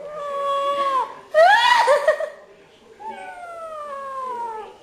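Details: Domestic cat calling indoors: two long, drawn-out harmonic meows that slide slowly downward, separated by a louder, rougher, wavering yowl in the middle, in a quiet small room.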